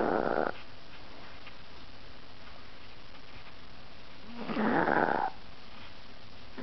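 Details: Ahji, a fat pet Chihuahua, falling asleep: two broad, raspy snoring breaths, one at the start and a longer one about four seconds later, with near silence between them.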